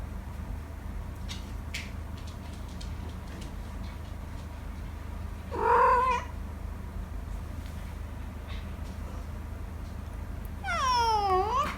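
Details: Pet cat yawning indoors: a short, whiny, rising-then-falling vocal squeak mid-clip, then a louder drawn-out yawn call that slides downward, over steady low background hum and a few soft clicks.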